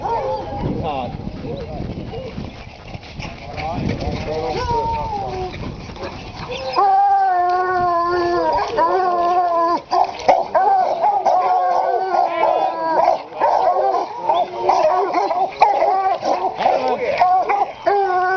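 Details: Plott hounds bay in long, drawn-out, wavering cries, several voices overlapping, during a field trial race semi-final on May 30, 2009; finding: Plott hound.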